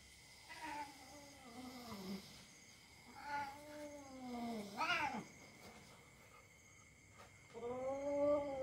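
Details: House cat yowling while play-fighting with a young dog in a household where cat and dog get along. Four separate moaning wails bend up and down, with brief pauses and scuffling between them.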